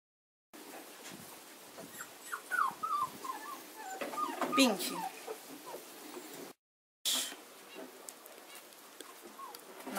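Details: Kuvasz puppies, 35 days old, whimpering: thin, high, falling whines come in short bunches over the first seconds, while a person speaks nearby and names the puppies by colour and sex.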